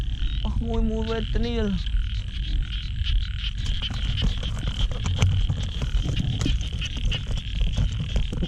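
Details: Frogs on a rainy night, found plentiful after heavy rainfall during a torchlight frog hunt. Two quick, deep croaks early on, each slightly falling in pitch, then a constant high shrill chorus with rain and rustling noise.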